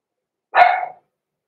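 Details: Six-week-old blenheim Cavalier King Charles Spaniel puppy, one of a small litter born November 14, 2022, kept indoors in a puppy pen: a single short, bright yap, sharp at the start and fading over half a second, with silence around it.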